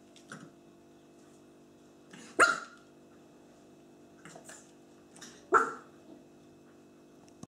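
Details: Two-month-old black female Pekingese puppy playing excitedly with an acorn, tumbling with it in her mouth; two short sharp yaps about three seconds apart, with softer huffs and rustling between them.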